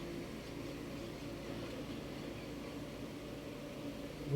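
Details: A steady low mechanical hum with a tonal drone, like a fan or microwave running indoors, ends with a brief louder bump and no animal voice.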